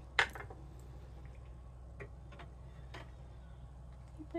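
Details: Faint indoor clinks of dishes and cutlery sound over a low hum, with a few soft taps and brief murmured speech.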